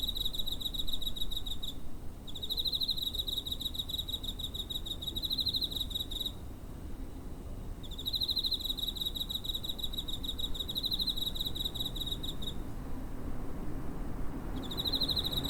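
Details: A cricket near a home, captured 7 September 2023 using a TASCAM DR-05, gives long, shrill pulsed trills lasting several seconds, broken by brief pauses, above a soft low-frequency rumble.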